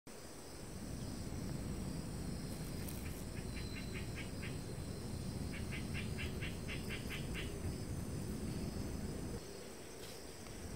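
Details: Friendly calico cat purring in a steady low rumble for most of the clip, with short trains of high, rapid ticking pulses in the middle and a faint constant high hum.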